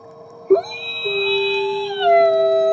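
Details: Nikai, a captive-born male gray wolf at the Wolf Conservation Center in South Salem, New York, howls in the snow: a long, steady, mournful howl holding one pitch before easing slightly lower.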